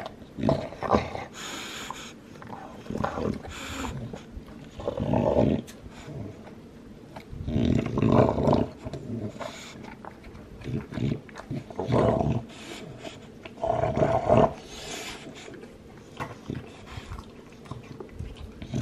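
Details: Two-year-old male Olde English Bulldogge with lilac tri coloring working on a bone; crisp crunching and scraping clicks repeat steadily, broken by short low grumbling growls every few seconds.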